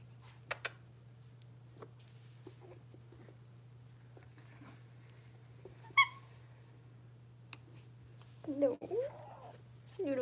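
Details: Six-week-old blenheim Cavalier King Charles Spaniel puppies, a litter of five born at New Year, in an indoor puppy pen: mostly quiet room with a steady low hum and a sharp click, then short wavering whimpers near the end.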